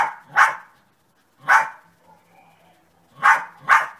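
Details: Sunny the dog gives four sharp, mid-pitched barks: one alone, a second after a pause, then a quick pair at the end; a low faint hum in the quiet gaps.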